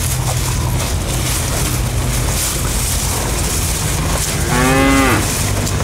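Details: Bull eating elephant grass (rumput gajah), lowing once near the end: a single low, harmonic moo lasting under a second, over steady broadband background noise and a low hum.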